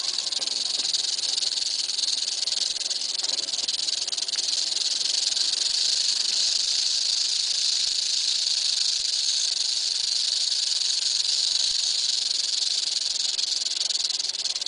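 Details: Continuous rattling of an eastern diamondback rattlesnake, a sustained hissing buzz that holds at one level for about fifteen seconds with only slight flutter and no pauses.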